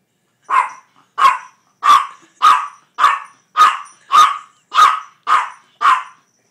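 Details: Tiny four-pound pet dog barking for food, ten sharp high barks repeated about every 0.6 seconds, evenly spaced, with no other sounds.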